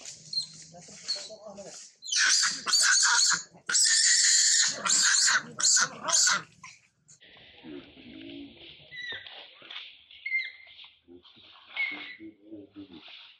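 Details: A mother monkey named Rana screams loudly in fear as a big male tries to steal her mango: a burst of harsh, high, loud screams in rapid succession, then quieter, thinner calls and faint background sounds.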